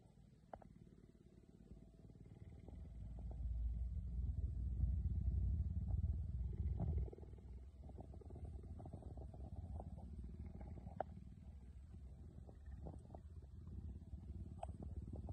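A cheetah purrs in a deep, steady rumble that swells loudly, then settles into a softer drone.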